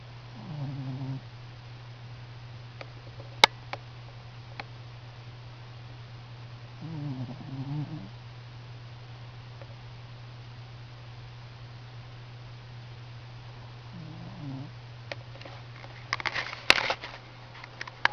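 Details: A Standard Schnauzer asleep and snoring. Three low, grumbling snore breaths come roughly seven seconds apart against a constant low hum, with sharp clicks and a burst of rustling near the end.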